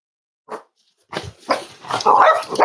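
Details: Cavalier King Charles Spaniel puppies snuggling indoors at a home raising emotional support animals, on a warm Friday morning: a short soft yelp, a pause, then a run of rough, rising whimpering barks growing louder.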